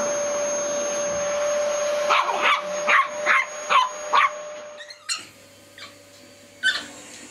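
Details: Dog reacting to a vacuum cleaner: a quick run of about six loud barks roughly half a second apart over the humming machine, which then cuts off before a few more scattered barks in a quieter room.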